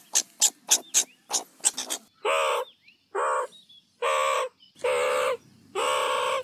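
Meerkat giving quick sharp chirps, then longer harsh, nasal calls repeated at uneven intervals.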